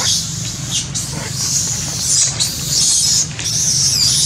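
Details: Baby monkey named Sweet Pea crying: a sustained, shrill, high-pitched screeching wail that wavers in pitch and runs almost unbroken, with two short dips in loudness, over a low steady rumble of background noise.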